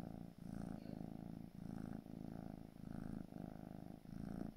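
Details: Gray British Shorthair kitten, four months old, purring steadily: a low, rumbling, pulsing purr that swells and fades with each breath, about four cycles, with short dips between inhalation and exhalation.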